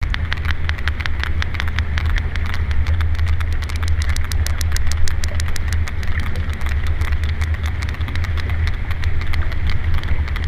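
Sperm whale clicks, sharp broadband ticks in a steady train, over a heavy low rumble.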